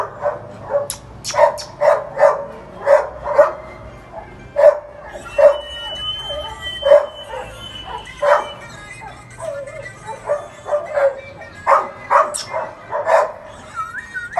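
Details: Tibetan Mastiff puppy giving a long run of short barks and yips, roughly one or two each second, with a faint tone and background music.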